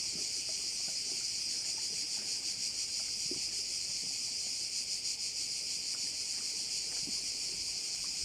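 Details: Crickets fill a Korčula bay with a bright, sustained, high-pitched drone that wavers slightly in intensity. A few faint clicks and knocks sound low underneath.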